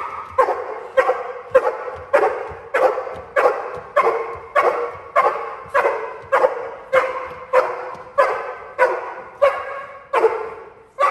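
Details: Cane Corso in protection training during a home invasion drill, holding a decoy 'criminal' with sustained barking: deep, harsh barks repeated steadily about every 0.6 seconds, some eighteen in a row, with little else audible.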